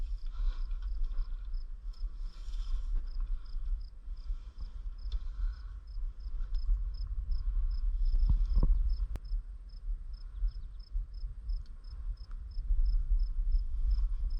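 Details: Crickets chirping in a prairie in Bremer County, Iowa, during an insect walk: a thin, high, steady pulsing trill repeated rapidly and evenly throughout, over a low rumble of wind or handling noise.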